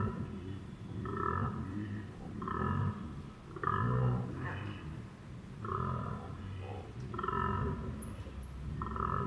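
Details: A koala bellows at close range in deep, rasping, snore-like pulses that repeat in a steady rhythm.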